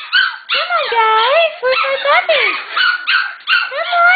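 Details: An excited Shetland Sheepdog puppy litter, soon going to new homes, gives bending, wavering whines that rise and fall in pitch. The calls come in quick bursts separated by brief gaps.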